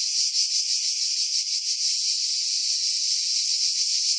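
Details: Cicadas in pines at Pefkos Bay, Skiros, Greece, July 2018, recorded with a Sony RX3 and external mic, wind filtered: steady high buzzing, pulsed at first, then a smoother continuous drone.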